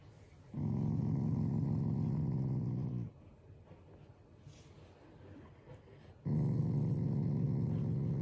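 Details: Affectionate family Shiba Inu growls in play, not in anger: a low, steady, rattling rumble lasting about two and a half seconds, a quiet gap, then a second growl starting up.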